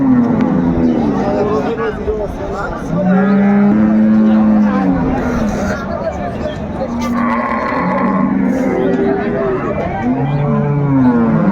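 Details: Cows and calves at Ambari Haat cattle market, Dinajpur, recorded 21 March 2025: several drawn-out low moos, one near the start and a series of overlapping bellows later, amid loud human voices and bustle.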